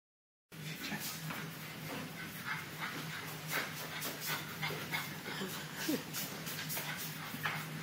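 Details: Bulldog puppy indoors giving soft, repeated whimpering sounds amid a steady low hum and scattered clicks and rustles.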